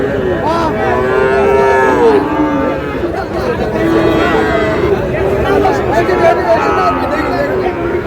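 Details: Sahiwal bull calves at a cattle market, bought by a Noakhali farmer on 18 June: several drawn-out, overlapping moos rise and fall through eight seconds, under a steady hum of crowd chatter and bargaining voices.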